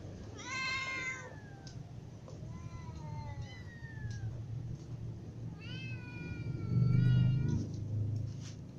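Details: Hungry cats, a ginger cat among kittens and adults, meowing; a few drawn-out meows with long falling tails, spaced by pauses, and a low rumbling noise near the end.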